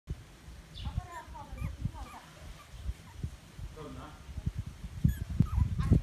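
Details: Chihuahua puppy, four weeks old, giving thin, high squeaky whimpers in short bursts, mixed with soft thumps and low handling noise and some nearby human voices.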